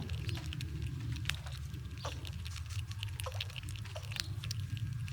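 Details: Winter squirrels gnawing nuts while shoving each other around; rapid dry crackling and nibbling clicks patter continuously over a deep, steady background rumble.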